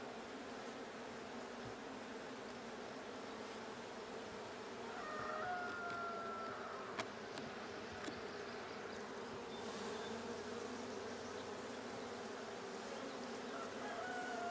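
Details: Blue hive of honey bees opened for a check on 6/20/22, giving a constant droning buzz that swells slightly midway, broken by a few sharp clicks and a brief thin whistle.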